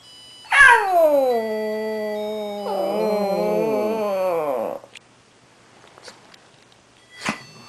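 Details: Pet Shih Tzu howling along to Christmas music, joined by a second Shih Tzu; a long falling howl with a wavering second voice layered over it for about four seconds, then near silence with a few soft clicks.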